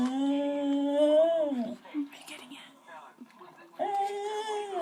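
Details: A beagle gives drawn-out, tonal, voice-like moans that rise and fall, almost like trying to talk, made on seeing another dog.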